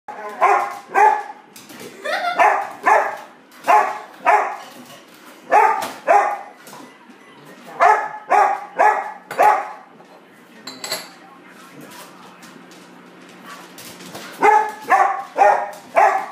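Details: Excited English Springer Spaniel barking before dinner: sharp, clear barks mostly in quick pairs, about seventeen over sixteen seconds, with a quiet pause in the middle before a final run of rapid barks.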